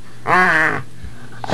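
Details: Two female pit bulls, Harley and Lilly, playing together under a bed indoors; one steady, harmonic, moaning growl lasting about half a second, followed by a brief soft rustle.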